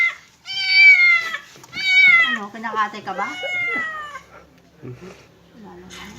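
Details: Cat during its first bath meows loudly three times in quick succession, each call long and slightly falling, followed by softer murmured sounds and a person's voice.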